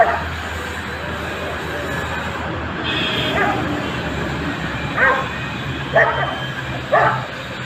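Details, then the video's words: Dog giving three single barks about one second apart toward the end, after a stretch of low engine hum and faint background noise. "Sounds of reactions dogs"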